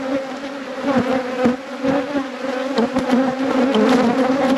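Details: Dense, loud buzzing of honey bees at a hive in a thriving apiary during inspection, a continuous layered drone with flickering surges and faint clicks throughout.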